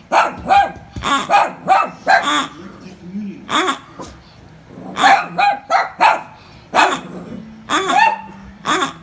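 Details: Frightened poodles facing a pig give bursts of shrill, clipped barks, clustered in quick runs of three or four with brief gaps, over a low background of voices.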